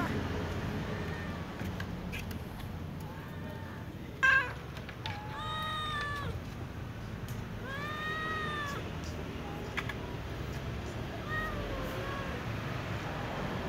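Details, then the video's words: Cats, including a tom and a little ginger cat, meowing to be fed: several separate meows, some rising then falling, spread across the recording, over constant low hum with a brief sharp knock and faint background voices. "brown cat meowing asking to be fed with other cats"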